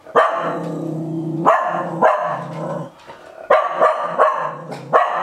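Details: Japanese Spitz barking threateningly at its own shed fur: harsh, noisy barks in bursts, one long drawn-out growly bark near the start, then quicker yaps in the second half.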